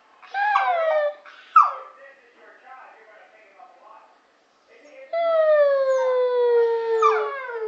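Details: Pet dog howling like a wolf: an opening falling howl and a sharp yelp, quieter whimpering murmurs, then a long steady howl held about two seconds that slowly sinks in pitch before a final rising cry.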